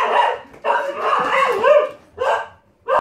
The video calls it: When your kelpie dog goes mad for cats! Barking mad!